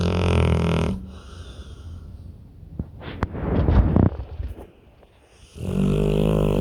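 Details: Pit bull snoring in deep sleep: a rough, deep snore at the start, a quiet stretch of soft breathing and small clicks, then a second low rasping snore begins near the end.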